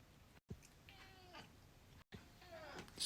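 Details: Indoor domestic cat begging to go outside while kept in because of the cold: two drawn-out meows, the second sliding downward, with a person's voice nearby.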